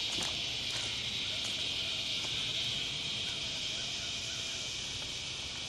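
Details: A chorus of northern dusk-singing cicadas (Tibicen auletes) makes a steady, high, buzzing drone that never breaks, recorded at dusk on July 28, 2009 in Lakewood, New Jersey.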